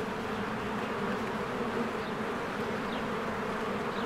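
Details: Spring honeybees at their hive, crowds of workers streaming in and out; continuous low droning buzz without a break, broken only by a couple of thin, distant bird notes.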